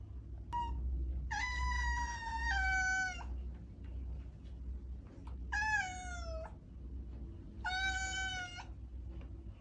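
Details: House cat giving a brief chirp then three meows, the first long with a drop in pitch halfway, the later two shorter and slightly falling, spaced roughly two seconds apart over low background rumble.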